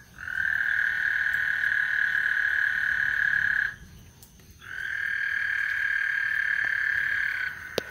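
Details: Frogs singing on Lake Houston before a thunderstorm: a steady, high, pulsing trill holds for about three and a half seconds, breaks off briefly, then resumes for another three seconds.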